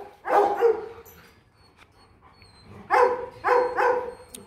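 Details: Whines from Kute, a female Rottweiler aged 15 months: one drawn-out tonal yelp, a quiet gap of two seconds, then three quick whining yelps in a row, clear and mid-pitched.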